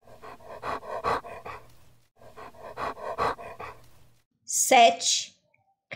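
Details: Panting dog, quick huffing breaths in two bursts of about two seconds each, followed by a brief, sharp, high-pitched voice-like sound near the end.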